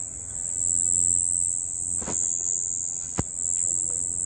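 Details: At night, a cricket sings a continuous, thin, high-pitched trill that barely changes from start to finish; two brief soft knocks break in partway through.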